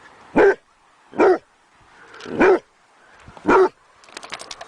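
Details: Dog barks while begging: four punchy barks roughly one second apart, followed by a soft, rapid clattering noise at the end.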